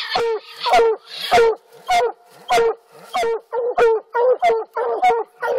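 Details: Black and blue coonhounds barking at a treed raccoon on an Alabama coon hunt; steady series of ringing, harmonic chop barks, roughly one or two per second, with a tonal hum beneath.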